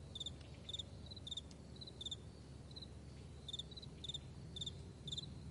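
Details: Meadow crickets at morning, giving high pulsed chirps in uneven clusters with a short lull midway, and softer distant chirps from other crickets filling the gaps, over a faint low drone.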